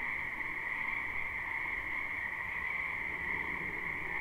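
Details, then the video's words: Chorus of many frogs in a spring wetland, recorded live. Steady, shrill, overlapping trills form an even high drone with no breaks, over a faint soft background. "Ambient Noise for Sleep Frogs Black Screen"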